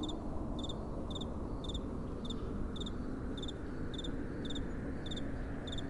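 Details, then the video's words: Steady nocturnal cricket chirping: clipped high twin pulses repeat evenly, close to two per second, over a constant low, breathy wind. "Relaxing Night Time Sounds | Crickets & Soft Wind"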